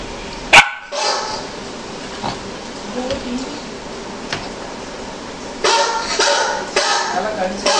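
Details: A Golden Retriever barks at a dog on a computer monitor: one sharp, loud bark, then softer barking sounds and a murmur of voices.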